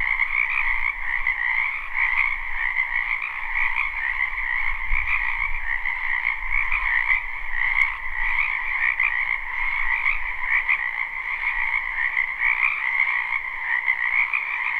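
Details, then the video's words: Many frogs croaking in a spring wetland behind a house, recorded live without looping: a dense, continuous trilling chorus with two steady bands, one high and one lower, plus faint low rumble. "Ambient Noise for Sleep Frogs"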